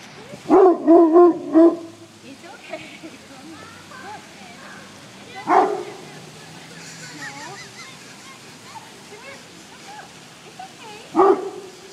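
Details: Rhodesian Ridgeback dog barking while defending his family: a quick burst of three or four deep barks at the start, then single loud barks near five and eleven seconds, with faint voices in between.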